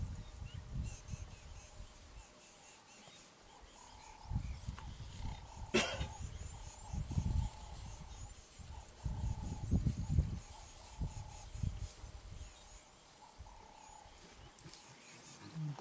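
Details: Lions fighting over dominance: deep, rumbling growls and snarls come in heavy bursts, loudest near the middle and again around ten seconds, with a sharp crack partway through and a faint steady high whine underneath.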